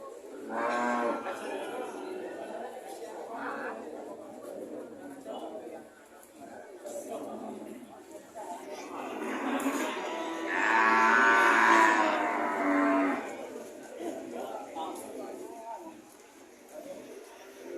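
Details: Several cows calling at a market, short scattered moos then a loud, rough, rising bellow in the middle lasting about three seconds, with voices and clatter throughout.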